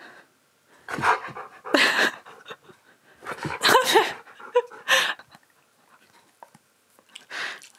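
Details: Siberian Husky, a male, being groomed indoors as his shed coat is brushed out. Quick, breathy pants in close-spaced bursts, with a few short, thin whining tones mixed in, then a quieter final burst.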